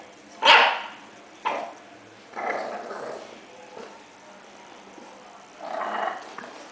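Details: English Bulldog puppy barking: one sharp loud bark, then a shorter one, followed by two rougher, drawn-out growly barks spaced a few seconds apart.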